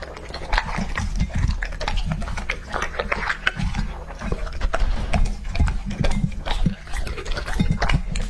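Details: Raw-food meal of Lucky, a young male English Labrador Retriever aged two and a half: steady crunching bites and wet chewing, repeated several times a second, over a heavy low rumble.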